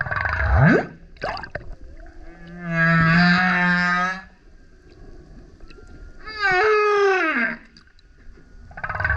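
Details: A male humpback whale sings very loudly as it surfaces beside a kayak. A rising sweep opens, then a buzzy harmonic moan over a deep grunt. After a pause comes a loud, wavering cry sliding downward in a slow sequence; Humpback whale.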